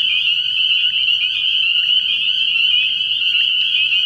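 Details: Dense calling of spring peepers from a frog pond at night early in the season, high clear peeps crowding together into a steady ringing chorus, a faint low hum underneath.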